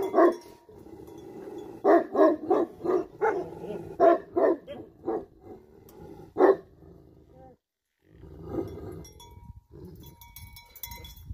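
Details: Livestock guardian Tibetan Mastiff in Nepal, loud deep barks in a quick series of about ten, then a lone bark, then quieter, muffled woofs and rustling as the barking dies away.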